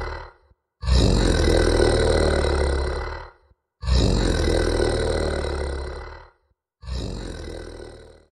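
A contented tiger gives deep, rasping rumbles in long drawn-out bouts separated by brief pauses.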